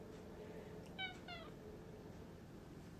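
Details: House cat that wants to go back outside gives two quick harmonic meows, the second sliding downward, in a quiet indoor room with steady low background hum.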